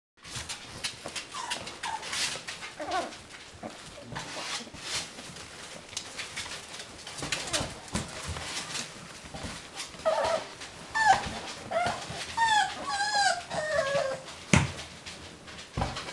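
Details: Six-week-old beagle puppies from one litter giving thin, high squeaks and whimpers, mostly clustered in the second half, over rustling and handling noise.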